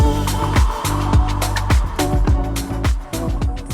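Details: Loud upbeat dance music with a thumping bass beat and no animal sounds.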